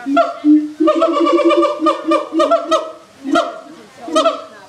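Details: Siamangs at Erie Zoo, loud enough to carry across the whole zoo; a rapid series of short, low hooting notes, with several sharper, barking accents standing out.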